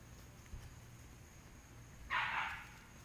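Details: Dog fence racing, one loud, rough bark bursting out after two seconds of quiet outdoor background, with a faint thump just before it.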